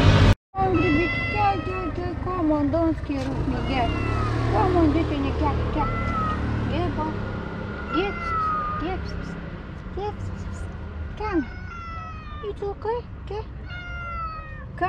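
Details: An extremely timid, hungry calico cat gives repeated rising-falling meows begging for food but is afraid to approach, over a person's coaxing voice and traffic.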